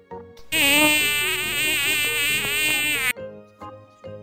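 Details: Mosquito buzzing: a loud, steady, whining drone rich in overtones lasting about two and a half seconds, slightly wavering, then cutting off abruptly, followed by softer tonal sounds.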